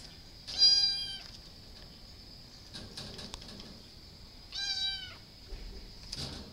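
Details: Cat named Stewie giving two drawn-out, harmonic meows about four seconds apart, each lasting under a second, over a steady high-pitched hum in the background.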